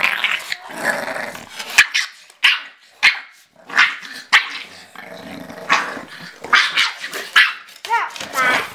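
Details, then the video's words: Bulldog puppy Cally in a play fight with her mother Autumn at a photo shoot; repeated gruff growls and sharp barks every second or so, a person talking and laughing alongside. "Bulldog Puppy Fights Mom and WINS!!"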